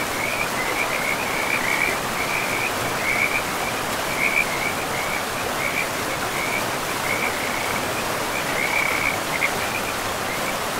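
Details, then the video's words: In a pristine forest beside a river, frogs keep up a high, beaded trill in brief pulses that recur steadily, over unbroken broadband water noise. "River and Frogs sleep sounds"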